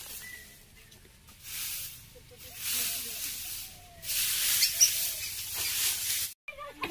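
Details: Indian cobra, also called spectacled cobra, during a snake rescue at Kalashree village, Balichandrapur, Jajpur, Odisha: two long breathy hissing bursts of roughly a second and a half to two seconds each, with faint low voices nearby.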